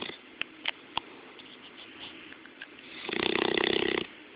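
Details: Sleeping Bloodhound snoring, recorded up close: soft breathy background for three seconds with a few faint clicks, then a loud, rough, buzzing snore with a low harmonic drone lasting about a second.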